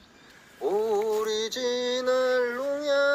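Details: A single voice chants a sustained, mantra-like melody in held, slowly shifting tones over a quiet background, with no animal sounds present.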